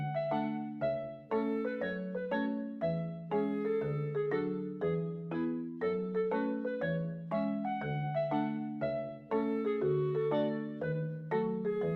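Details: Gentle piano or mallet music plays throughout in a steady repeating pattern, with no animal sound.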